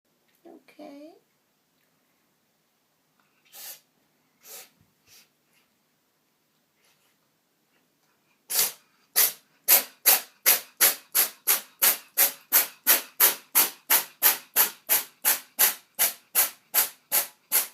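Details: Kitty Dot, a female cat with a sneezing problem, in the tub: a few scattered sniffs and a short mew, then a long fast run of sharp, explosive sneezes about two or three per second without a break.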